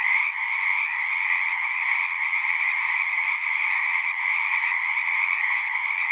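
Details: Many frogs singing together as a natural chorus, a dense continuous trilling wall of sound with strong bands near the middle and upper range, steady in loudness throughout with no gaps, no other sounds clear.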